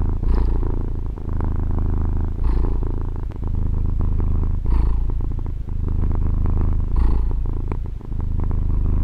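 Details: Purring of a female house cat on a Tascam DR-40 recording: a low, buzzy, unbroken rumble pulsing in slow breathing waves about every two seconds, with scattered light crackles.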